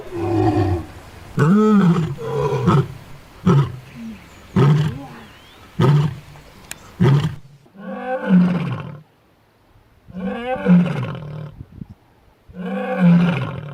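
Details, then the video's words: Lioness roaring to announce her presence and keep in touch with her pride: a run of short, deep grunting roars, several quick ones close together, then louder spaced bursts every one to two seconds with brief silences. "Lionne qui Rugit"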